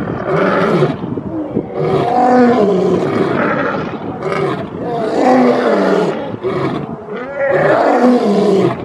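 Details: Lion roaring, a call lions use to communicate their location, show strength and intimidate rival prides: dense, overlapping harsh roars and growls with rising and falling tones, in three loud bursts separated by brief dips.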